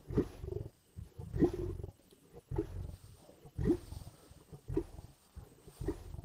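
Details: Lions at a carcass in the Indian bush growl, snarl and roar while feeding, with deep rasping bursts roughly once a second and low rumbling between them.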